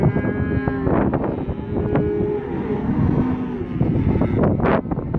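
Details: Black Angus steer calves, 67 animals around 180–190 kg, mooing in chorus: a sustained low bellow early, another midway, and overlapping calls over steady knocking and rattling.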